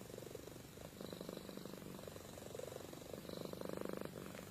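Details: Amy, a pet cat, purring and snoring while asleep: a low, steady rattling pulse with soft swells of breath, rising a little louder near the end in a quiet indoor setting.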